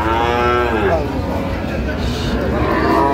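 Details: At a livestock market where a Dhaka farmer bought Sahiwal bull cattle on 4 August 2025, a loud harmonic low opens the sound and then tails off, followed by further softer lowing amid steady market chatter.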